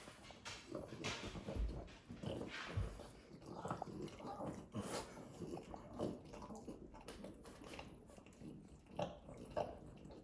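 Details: Pet French Bulldog licking himself and making snorting sounds; short rough nasal snorts and smacking, wet licks come in uneven bursts in a small room.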